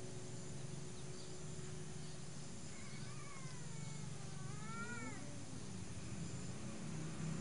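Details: Domestic cat calling in the morning while seeking to mate: a drawn-out, wavering caterwaul with rising and falling harmonic bends over about three seconds, then a lower trailing moan, against a steady low hum.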